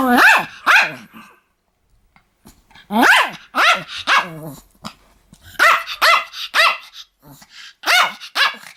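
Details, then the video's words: Pomeranian dog barking in bursts of two or three sharp, rising-then-falling yaps, with short pauses between groups; no other sounds intrude. "ポメラニアンの犬の鳴き声 (人間襲います)"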